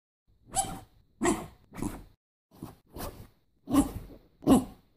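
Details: Norfolk Terrier barking: seven short, sharp, harsh barks in five seconds, loosely spaced with brief silences between them and the last two loudest, with no other sounds in the background.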